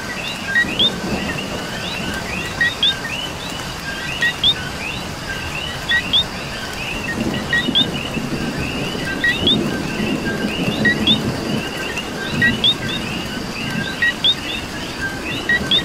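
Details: Coqui from Puerto Rico in a rainstorm, repeating its two-part call, a short note then an upward-flicking whistle, at irregular one-to-two-second gaps. A thick frog chorus fills the background, with rain falling and low rumbles swelling midway.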